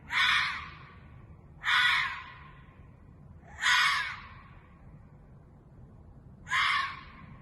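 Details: Ezo red fox screaming at about 2:30 a.m. on 11 June 2021 in a residential parking lot in Sapporo, Japan: four loud, harsh, hoarse screams, each under a second, spaced about two seconds apart, over quiet night background.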